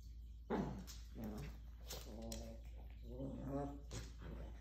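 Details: Maltese puppies play-fighting indoors give short harmonic growling and whining vocalizations in several bursts, some rising and falling in pitch, with a sharp scuffling noise near the start.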